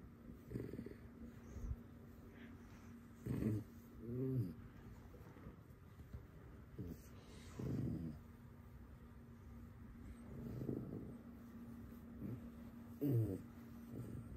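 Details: Alice, a pet fox kept at home, being mischievous: short throaty harmonic vocal bursts come in irregular groups at scattered points, some doubled, over a steady electrical hum in a quiet indoor room.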